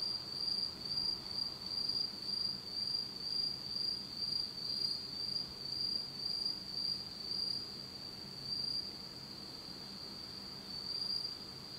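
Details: Japanese autumn insects calling in complete darkness at night: an unbroken shrill high trill pulsing about twice a second, the beats fading after around nine seconds while the steady ringing continues.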